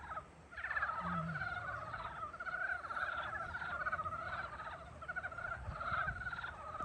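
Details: Frogs calling in spring: a dense chorus of many overlapping pulsed, rattling croaks that run on without a break, rising and falling slightly in loudness, with a faint low rumble underneath.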